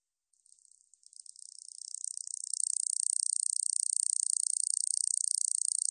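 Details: Katydid, from a 2020 recording by the National Institute of Biological Resources in Korea: a dry, high-pitched buzzing rattle that starts faint and patchy, then builds within two seconds into a loud, rapid, continuous pulsing trill.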